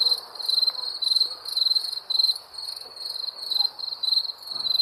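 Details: Wild crickets give high, rasping chirps roughly every half second. Loud and quiet bursts alternate unevenly, with faint low rustles underneath.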